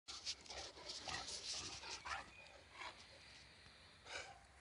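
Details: Leonberger dog panting in quick, irregular breathy bursts, soft airy rasps repeating about every second, with no barking.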